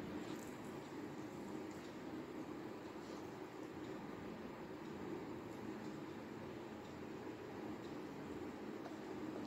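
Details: A steady broadband rumble and hum, like a vehicle or train interior, runs throughout with no animal voice.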